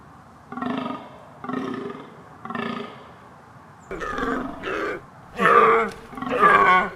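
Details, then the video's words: Deer producing three even, low, buzzy grunts about a second apart, then louder and harsher bellowing calls with a brief nasal tone. "Som de cervo - Som de veado - Som de animais - efeito sonoro de cervo"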